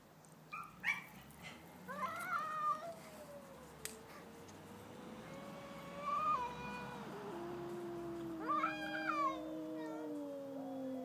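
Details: Two domestic cats, a pet and a neighbour's cat, in a stand-off: long drawn-out wavering yowls that slide slowly downward, punctuated by sharper rising wails at about two and nine seconds, with overlapping voices.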